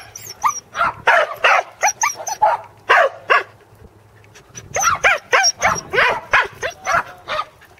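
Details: Rapid, irregular barking from corgis Teddy and Jack during a second sheep-herding try at Island Crossing Farm, Arlington, on 27 March 2011. Two dense runs of yaps are split by a short pause, with a faint high ringing tone throughout.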